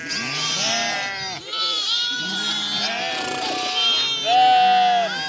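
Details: Running lambs bleat over one another: drawn-out quavering bleats, some lower and steady, others higher with a bending arch, overlapping almost without pause, with a loud clear bleat near the end.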